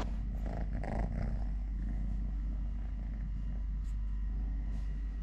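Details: Steady low purring from Totoshka, a three-legged male cat, while he eats, plays, walks and play-fights with a hand; a continuous rumbling drone with faint brief rustles above it.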